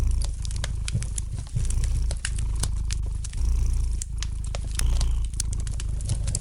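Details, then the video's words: Gentle purring of a domestic cat by a crackling fire, a continuous low vibrating drone that rises and falls with each breath, overlaid by frequent bright snaps from the fireplace. "the gentle purring of the cat"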